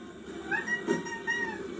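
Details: Domestic cat giving short, tonal, rising-then-falling meow-like calls, two in quick succession, while a person speaks nearby in a quiet room.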